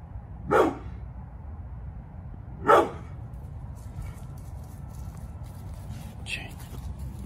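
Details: Pit Bull Bullet, almost 11, barking to protect the yard: two loud, coarse barks about two seconds apart, followed by quieter background sounds and a soft voice.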